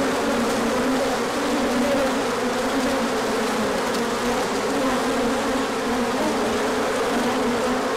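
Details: Large orientation flight of bees on 24 March 2024, after a colder stretch when the sun appeared. The many wings produce a thick, unbroken buzzing drone, steady in loudness from start to end.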